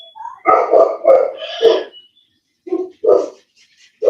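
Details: Cane Corso (Italian Mastiff) kept by a breeder west of Nashville, Tennessee, barking in a loud burst of overlapping harsh barks, then after a short silence two more separate deep barks and the start of another; indoor setting.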